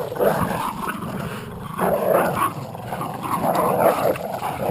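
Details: Jack Russell Terrier and American Staffordshire pit bull playing tug of war, giving low rumbling growls in bursts roughly every second and a half, with broadband noise throughout.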